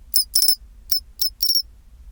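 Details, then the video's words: Pine cricket singing its chinchirorin song at 24°C: clear, very high-pitched metallic chirps in short clusters of two to three pulses, repeated about every half second, over a quiet, faintly rumbling background. "チンチロリン Sound of pine cricket"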